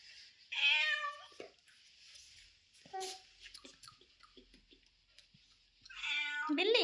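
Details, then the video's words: Street cat meowing: a strong, wavering harmonic meow early on, a brief quieter call midway, then a rising, bending meow at the end, with a person talking softly nearby. "Cat video cat voice"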